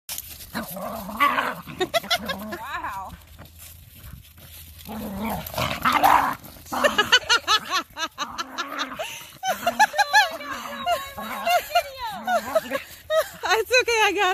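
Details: Two corgis growl, yip and bark in rough bursts while play fighting at a dog park, with people talking nearby.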